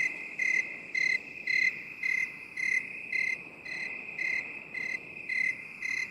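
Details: A cricket in binaural 8D sound gives short, ringing, high chirps at a steady pace of about two per second, a dozen in all, against a constant high-pitched insect hum.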